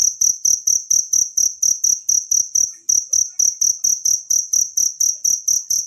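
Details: Wild cricket, recorded as a natural tutor sound for training songbirds, giving high, shrill chirps at a steady beat of roughly three to four per second. A brief gap near the three-second mark breaks the run, with no other sounds.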